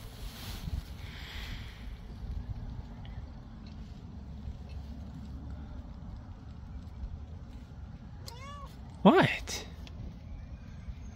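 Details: Onyx, an anxious domestic cat sitting outside in a carrier, lets out a pair of brief arched meows near the end after long quiet rumbling background, followed by a sharp clatter; soft human talk nearby.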